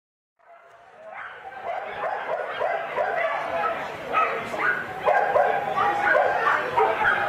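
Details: Shetland Sheepdog barking during an agility performance at the international dog show at the Petržalka racecourse in Bratislava on 19 August 2012. Sharp, rapid barks come about three per second, with crowd voices underneath.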